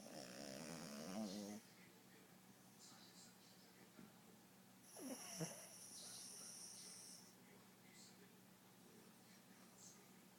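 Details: Pet dog snoring as it sleeps on a bed beside its owner indoors; rough, buzzy snore bursts with low harmonics open the recording and return midway, separated by quiet stretches of faint room hiss.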